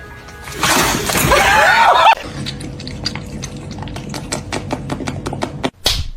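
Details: A burst of shattering, crashing noise over music for two seconds, then quieter room sounds with a steady hum and a run of sharp clicks or taps.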